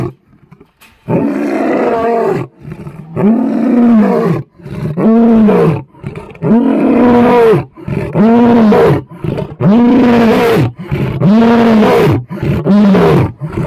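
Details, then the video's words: Captive male lion at Cheetah Experience, South Africa, roars up close in a steady series of deep, moaning grunts, each rising and falling in pitch. "Nice Roaring Lion At Cheetah Experience"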